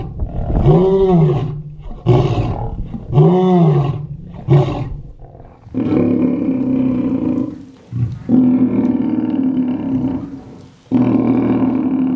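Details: Lions at a feeding at Mount Etjo Safari Lodge, Namibia, eating and fighting for meat; four deep arched roars at about one-second intervals, followed by three long, sustained, droning growl-roars separated by short pauses.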